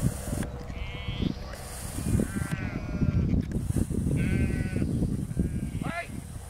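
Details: Field bleating of sheep while border collie Lars, four years old, works them: four short tremulous bleats spaced about every one and a half seconds, with strong low wind rumble beneath.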